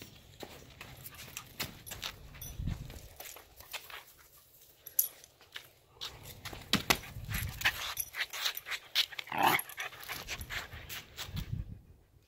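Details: A Corgi running around a yard pants and gives a brief whimper amid quick scuffling and clicking noises.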